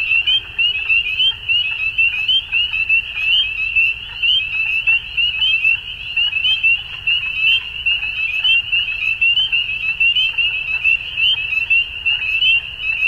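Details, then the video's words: Dense frog chorus at dusk during spring in Ontario, Canada: unbroken high shrill peeping from numerous callers, evenly loud throughout, over a soft low-frequency rumble. "Frog Sounds At Dusk"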